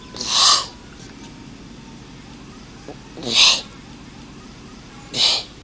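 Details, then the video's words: Turtle hissing: three sharp, breathy bursts, each about half a second long, roughly two to three seconds apart, over a steady low background hum. "Turtle Moaning/Hisses"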